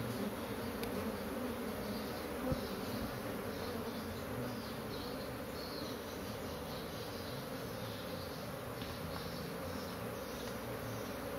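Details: Agitated honey bees from a beekeeper's colony, loud and disturbed, making a dense, throbbing hum that holds steady throughout, broken only by a single sharp tap early on.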